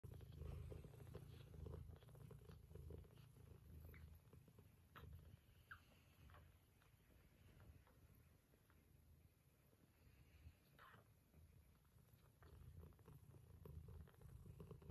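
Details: Mother cat purring tenderly while her Scottish straight and lop-eared kittens nurse: a steady, soft, low rumbling purr throughout, with faint lip-smacking clicks from the feeding kittens.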